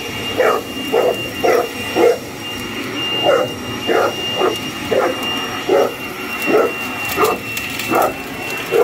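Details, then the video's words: A Boerboel goes after a running hoover, letting out rapid short barks roughly every half second to second, irregularly spaced, with the vacuum's constant motor whine filling the background. "Boerboel attacking hoover"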